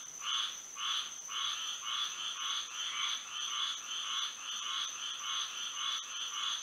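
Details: Frogs singing at night under moonlight in Florida: a dense chorus of pulsed, buzzy croaks repeating roughly twice a second, with a steady high whine of insects underneath.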